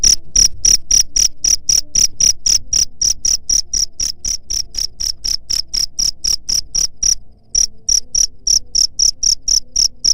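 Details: Cricket chirp used to drive away rats: shrill, even pulses about four per second, running steadily with one brief pause before the series resumes.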